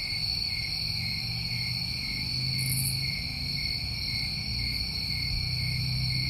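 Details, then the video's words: New England summertime crickets produce a continuous shrill ringing drone, steady throughout, joined by one brief high buzzy burst midway and a noticeable low hum beneath. "Over 1 Hour Of Tinnitus Masking With Crickets"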